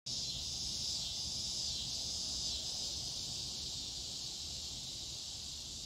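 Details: Scissor grinder cicada (Neotibicen pruinosus), also called dog day cicada, giving a steady, loud high-pitched buzzing drone that holds without a break through the whole stretch, with faint low rumble beneath.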